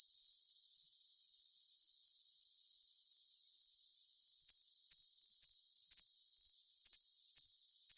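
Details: A cricket's shrill, unbroken ringing tone fills the opening seconds, then breaks into rhythmic high chirps about twice a second over constant bright hiss.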